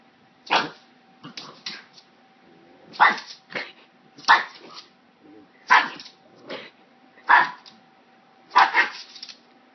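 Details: A pug, scared, barking at a hair clip indoors: short broadband barks, single or doubled, spaced about one to two seconds apart, with a steady faint hum in the background.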